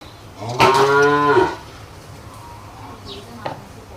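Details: Cow on a Bangladeshi cattle farm that calved at eight months of pregnancy. One loud, deep, nasal moo lasting about a second, followed by faint thumps and background noise.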